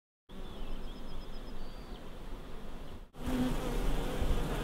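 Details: Honey bees humming at a beehive the day before the honey harvest: a dense, steady low buzz with rumbling handling noise, a thin high whine early on, and a brief cut before the hum resumes louder.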